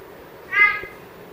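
A big-eyed tree frog gives one short, tonal, slightly nasal note, almost like a brief mew.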